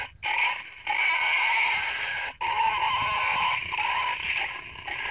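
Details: Wild boar sound used by hunters to call boar to bait, described as personally tested: harsh, drawn-out squealing held almost without pause, broken by two short gaps.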